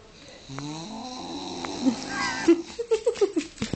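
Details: Belle, a little pet piglet, snorting: nasal, tonal grunts that step upward in pitch, then a quick run of short, punchy snorts repeated about every quarter second toward the end, with a faint breathy wheeze in between.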